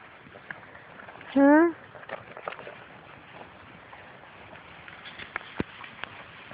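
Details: Outdoors, Labrador Retriever puppies of Grace and Sam's litter chase their mother, who keeps avoiding feeding them. One loud, rising whine lasts about a third of a second, followed by scattered clicks and a woman talking to the dogs.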